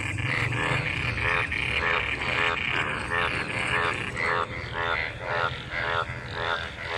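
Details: A chorus of frogs in rain-gathered water after monsoon rain, mating. Loud, grating croaks pulse in quick repeated bursts, nearly two per second, over steady low rumble.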